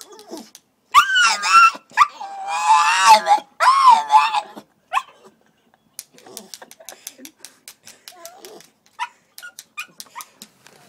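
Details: Coco-T the puppy, put outside after a toilet accident, lets out long loud wavering howl-like cries in the first few seconds, followed by softer whimpers among tapping and clicking sounds.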